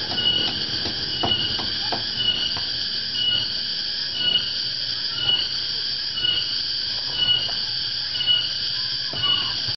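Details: Afternoon chorus of a cicada called tonggeret or garengpung in Java, Indonesia, heard as the dry season approaches; an unbroken, shrill metallic drone with regular pulses near once a second, plus faint low clicks and background rumble.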